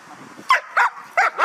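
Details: Guard dog in Hà Tĩnh, Vietnam, barking while practising guarding belongings: four loud barks in two pairs, under half a second apart within each pair, over faint low background noise.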